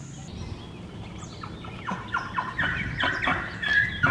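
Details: A young male Hartmann's mountain zebra at a zoo, while getting water, gives a fast run of hoarse, yelping barks, each dropping sharply in pitch.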